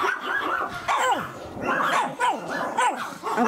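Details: Pomeranian named Kesha from a kennel in Kyiv, Ukraine, giving a string of short high yips and whiny barks, each sliding down in pitch, about three per second over steady room noise.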